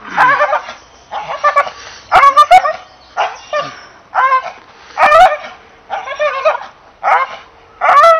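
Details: An English Bull Terrier voices a steady series of high, whining yelps, each about half a second long with bending pitch, spaced around a second apart.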